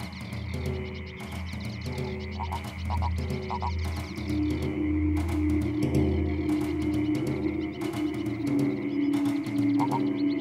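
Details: At dusk on a farm in Sologne, France, the farm's frog-and-toad pond chorus of courting frogs and toads gives low, pulsing croaks about twice a second, with a steady sustained tone and soft music.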